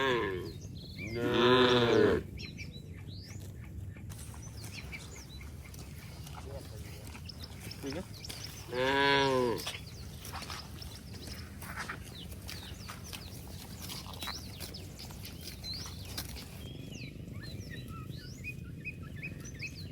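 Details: Cattle romping in mud outdoors give two separate loud moos, the first near the start and the second about seven seconds later; the rest is a quieter rural background with scattered bird chirps.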